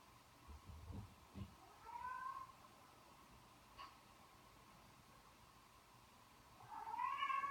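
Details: Indoor cats watching cat videos alongside their owner; two rising, drawn-out meows, one near the start and a louder one at the end, with soft thumps and a quiet room between.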